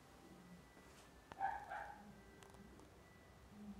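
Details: A female calico Maine Coon cat, born September 2017, gives one brief, high, chirping call in an otherwise quiet room.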